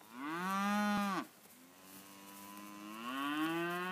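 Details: Poll Hereford heifers mooing twice: a loud, steady, full-throated moo that cuts off sharply, then a softer, longer, drawn-out moo that lifts in pitch toward its end.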